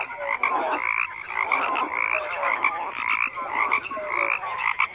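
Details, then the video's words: Crowded chorus of frogs: raspy, rattling croaks layered over one another, swelling and easing roughly every second, with a few short tonal notes. "FROGS CROAKING"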